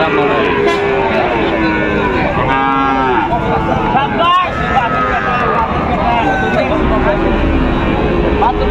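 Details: Sahiwal breed bull calves for sale at Raniganj market, Dinajpur, 29 August 2024; several sustained bovine moos overlap with men's bargaining voices and a steady hum of crowd noise.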